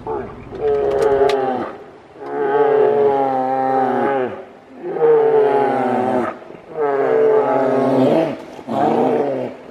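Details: Grizzly bear (Ursus arctos horribilis), roars: aggression during a fight.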